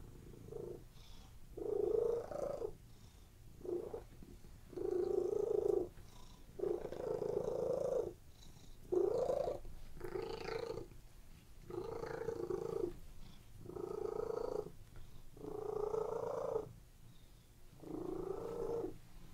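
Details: Domestic cats lying on a bed purring steadily, relaxed; rhythmic breathy purr in long bursts about a second each, alternating with short pauses as the cat breathes in and out.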